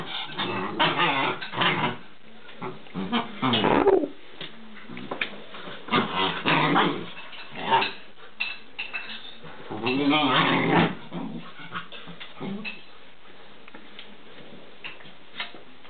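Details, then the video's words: Alaskan Malamute puppies named Danny and Nika, recorded indoors on 16 January 2010, giving bursts of growling and whimpering yelps in irregular clusters, with human speech and household clatter in the room. "aljašský malamut - štěně (alaskan malamute puppies)"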